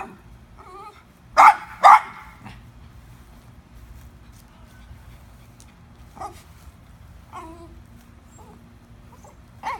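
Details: Domestic dog barking while wanting a squirrel up in a tree: two loud, sharp barks in quick succession early on, with soft higher whines and whimpers before and after in a quiet setting.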